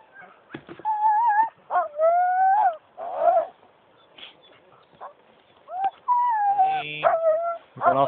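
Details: Sled huskies near the end of a ride in Geilo, Norway, in January: high wavering whines and yelps that rise and fall, in bursts with short pauses, while people talk about keeping the brakes on.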